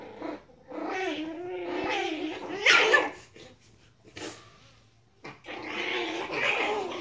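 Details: Chihuahua puppies playing indoors, giving squeaky growls and yips with rising and falling whines, bursts between short pauses, a soft steady hum underneath.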